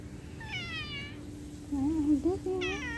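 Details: Domestic cat meowing amid separation from its owner: a high, harmonic-rich meow, then lower, wavering, voice-like calls and a second bright, rising meow at the end, over a steady low hum.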